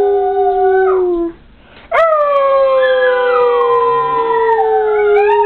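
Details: Rocky, a schnauzer-yorkie, and Lua, a westie, howling together: a falling howl, a short quiet break, then a long sustained howl that rises sharply and slowly sinks as a second wavering voice overlaps.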